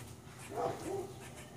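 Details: A female dog, stirred up while chasing squirrels that tease her, gives one short, faint tonal whine or yip that rises and then falls. A steady low hum runs underneath.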